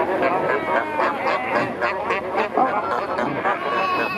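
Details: Chorus of fur seals around kayaks at Pelican Point near Walvis Bay, Namibia, where numerous pups were newly born; wavering, bleat-like calls overlap one another in quick succession over a constant wash of water.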